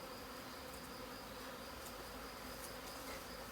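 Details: A Western honey bee swarm re-forms around its queen while being collected from under a family chalet roof on 21 May 2020. It gives an unbroken, even buzzing drone with occasional faint ticks.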